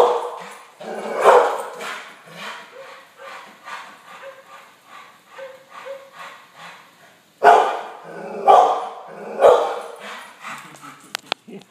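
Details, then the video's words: Yellow Labrador Retriever barking at dogs shown on TV: soft muffled woofs and TV sound for several seconds, then three loud harsh barks about a second apart near the end. "Brandi barking at the tv"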